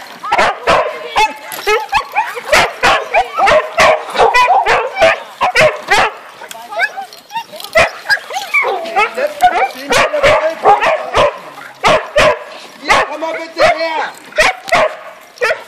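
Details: Several huskies at a winter husky camp yip, whine and howl excitedly at feeding time in overlapping, wavering cries, punctuated by sharp clattering knocks.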